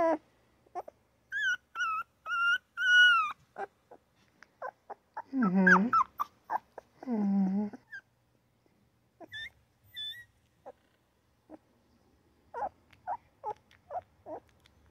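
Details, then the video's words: Newborn puppies crying, yapping and grunting: a series of short, high, wavering squeaks and whines in bursts, a couple of longer lower moaning cries midway, then scattered thin yips separated by silence. "Newborn puppy crying, yapping and grunting!!"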